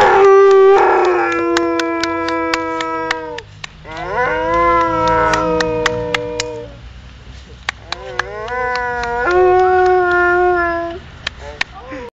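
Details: An Alaskan Malamute "sings," howling in long, sliding tones that rise and waver, with brief pauses between.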